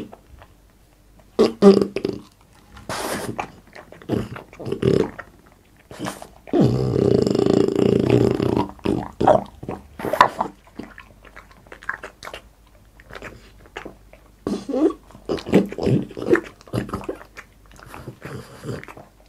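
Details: French Bulldog Boss eating indoors for ASMR mukbang: scattered sharp chomps and lip smacks, a longer rumbling grunting stretch midway, then quick irregular chewing clicks.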